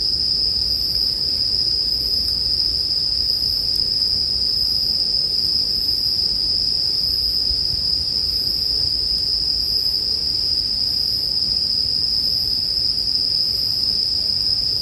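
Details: Bell crickets ring in a constant shrill trill, with a fainter upper tone pulsing about once a second. A bonfire crackles low and steady beneath, in a calming mix for sleep.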